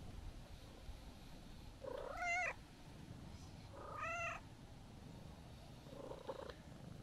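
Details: Calico cat, apparently a stray, starts meowing when a person tries to leave: two clear rising-falling meows a couple of seconds apart, then a faint third, over low background rumble.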